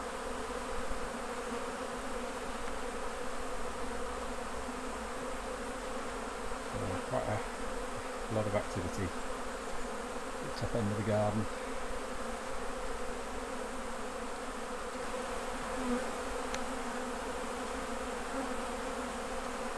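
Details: Hive of honey bees during honey harvest, a constant low droning buzz, briefly overlaid near the middle by a few short bursts of human voice and handling clicks.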